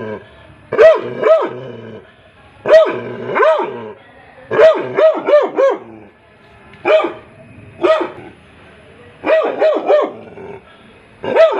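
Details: Labrador retriever puppy yapping repeatedly in high, arched yelps, singly or in quick runs of two to four, about every second or two, over soft background music.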